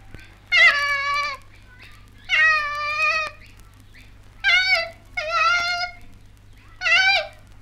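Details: Female koala calling in Australia, from a 1968 wildlife recording: four drawn-out, nasal, wavering wails with rich harmonics, each about a second long and separated by short pauses, over a quiet background hum.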